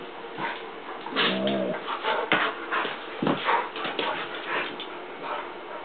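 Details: Two dogs at rough play, Hera the newly adopted Mammutbull romping with Jager; a short droning growl near the second mark, surrounded by sharp thumps, scrabbling and huffing bursts.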